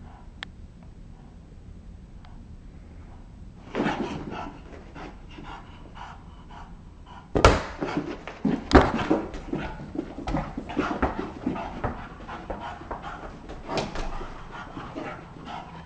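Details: Bulldog playing in a basement room: a near-quiet start, then sudden loud scuffles and sharp knocks, followed by choppy, breathy panting and snorting in irregular bursts.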